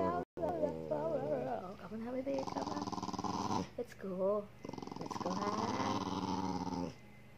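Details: Domestic dog "talking" with its owner, who keeps teasing it: a long wavering, yodel-like whine bending up and down, then sustained growly moaning grumbles in two long stretches, indoors in a small room.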